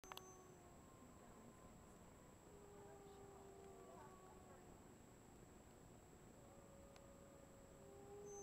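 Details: Several gray wolves at a wolf facility in Cocolalla, Idaho, howl together in long, drawn-out tones that hold steady and slide gently in pitch.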